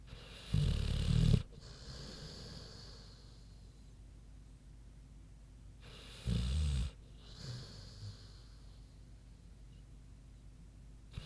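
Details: Queenie the big pig asleep, snoring: two deep, rattling low snores about five seconds apart, each near a second long, with a softer snort between and faint breathing.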